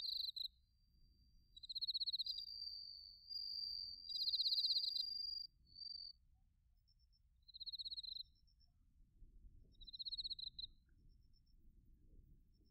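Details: High, ringing cricket chirps in autumn, bell crickets and crickets recorded in Narita, Chiba, Japan, with a TASCAM Portacapture X8; several loud pulsed bursts and a sustained trill early, sparser chirps later over faint low background noise.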